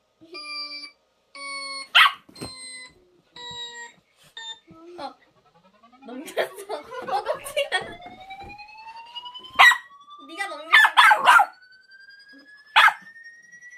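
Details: Dog reacting to odd sound effects: electronic beeping tones, then a rising siren-like sweep, with sharp barks breaking in several times, clustered toward the end.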